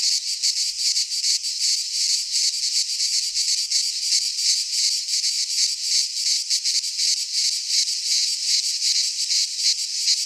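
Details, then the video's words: Midsummer chorus of cicadas in a pine forest in Greece, an unbroken shrill buzz pulsing rapidly, several insects overlapping into one constant wall of sound. "Cicadas singing in midsummer - Nature sounds from the Greek fauna - Sounds of cicadas"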